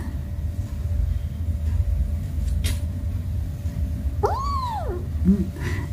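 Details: One of the cats, possibly the kitten Ona who bullies his little brother, lets out a single clear meow that rises and falls in an arch, followed by a brief lower chirp, over steady room hum.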